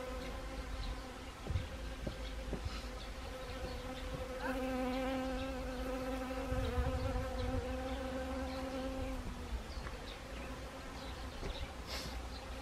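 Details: Autumn honeybees working Siberian chrysanthemum blossoms in Gangwon Province, South Korea, recorded 1 October 2020; one loud, sustained, steady-pitched buzz passes close for several seconds over a softer background hum of other bees.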